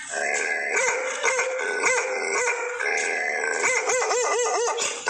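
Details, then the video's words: Bakarwal dog barking at a stranger: repeated gruff barks with howl-like tones, quickening into a fast series of short barks near the end over a constant hiss. "Bakarwal dog barking @Tiger on a stranger"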